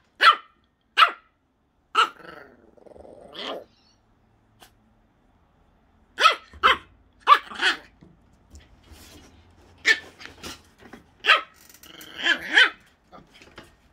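A Jack Russell terrier puppy gives sharp, high yaps in quick bursts, with brief pauses between.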